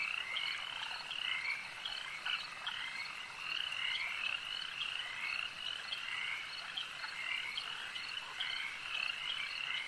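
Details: A lake chorus of many frogs: a continuous wall of high-pitched croaking and chirping trills that layer over one another without pause for ten seconds, evenly loud throughout.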